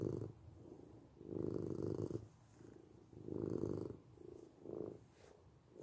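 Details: Soft, quieter purring of a domestic cat, low rumbling swells alternating with faint pauses, about four breaths heard.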